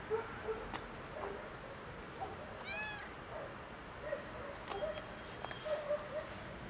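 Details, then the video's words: Tuxedo kitten crying out in distress: one short rising-falling harmonic meow near the middle, surrounded by faint soft mews and light clicks and taps in a quiet indoor setting. "Tuxedo kitten meows as if it's the end of the world"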